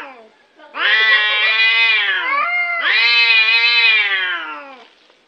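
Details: Domestic cat, described as cute, producing two extended yowling meows in close succession, each lasting nearly two seconds, bright and strongly harmonic, steady then falling slightly at the end; nothing else audible.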